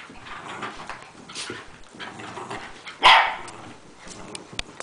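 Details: Rat Terriers playing together, a group including littermates; one loud, abrupt bark stands out about three seconds in over a background of quieter scuffling and movement.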